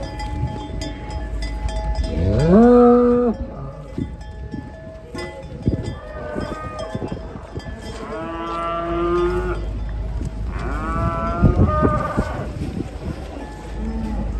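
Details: Giant cattle being unloaded from a truck for a contest in Boyolali, Indonesia, give three drawn-out, harmonic-rich moos, the first loudest and rising then falling, the others a few seconds apart, over crowd noise and background clatter.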